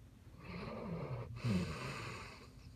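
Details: Sleeping Basset Hound gives one long, rattling snore: a raspy drawn-in breath, a brief catch, then a louder fluttering outbreath.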